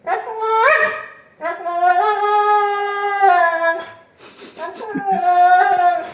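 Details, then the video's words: Siberian Husky howling in protest at a pet gate it does not want: long, tuneful, wavering howls that step up and down in pitch, with a short pause between, and a woman's voice briefly heard. "husky dog doesn't want pet fence/gate"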